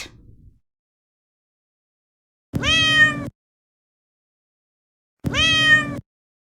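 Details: Domestic cat giving two drawn-out meows about three seconds apart, each a clear harmonic-rich wail that rises then falls slightly, with silence between calls.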